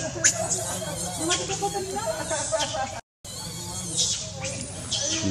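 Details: Hungry infant monkey Leo pleading with its mom for milk, voicing bent, rising-then-falling whimpers in short runs, a brief silent gap midway, then piercing high squeaks, all above a low background hum.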